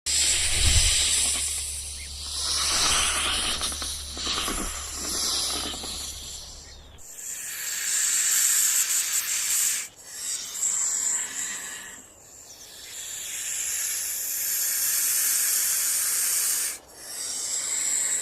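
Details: Rattlesnake rattling in nature: a sustained dry, hissing buzz fills the upper range and swells and fades in long waves, with short breaks. A low rumble runs underneath during the first seven seconds.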